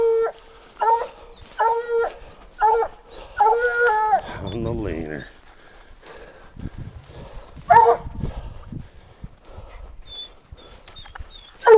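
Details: Black and Tan Coonhound treeing a raccoon at a den tree: a run of short, harmonic, ringing barks in the first four seconds, then a man's voice and rustling with one more bark near eight seconds.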